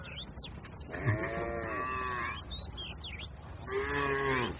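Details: Tame cattle grazing in a herd on a wide green field beside a herder; two long, low, drawn-out moos with rich harmonics, separated by a pause, while small birds chirp and whistle in the background.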